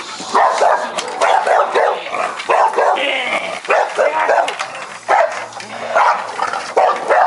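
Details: Buldogue Campeiro guard dog, loose in a yard after guard training, charging and rattling the gate as a man provokes it from outside; loud, hoarse barks fired in rapid bursts roughly every second, with a few whining yips between volleys.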